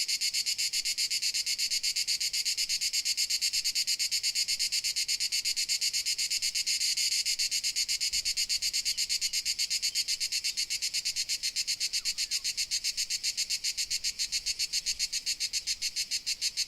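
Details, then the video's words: Crickets calling in Dalmatia, Croatia: a long, steady high-pitched chirping chorus, the pulses blurring at first and then becoming crisper and more evenly spaced toward the end. "Dalmatia Crickets Sound Effect"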